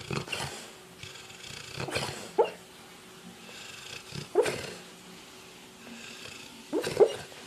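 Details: Sleeping dog dreaming, giving breathy, rasping snore bursts roughly every two seconds, some ending in short squeaky tones, with low background hiss between breaths.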